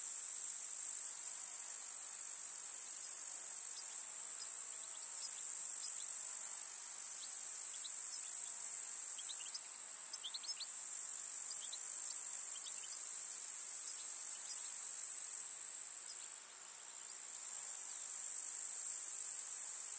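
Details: Rural summer meadow grasshoppers: continuous high, hissing chirr fills the whole stretch, overlaid by scattered short ticking clicks in the middle; the buzzing briefly dips around ten and sixteen seconds, then resumes.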